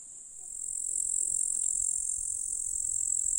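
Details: Grasshoppers in a July meadow in rural Russia give a steady, very high hissing trill that swells in loudness after the first half second and then holds constant.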